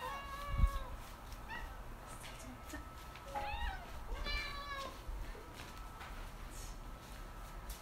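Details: Pet cats Nyang, a white spayed female, and Kong, an orange neutered male, both eight, greeting a newly arrived parcel; drawn-out and clipped meows in sequence, with a thump and soft indoor rustling.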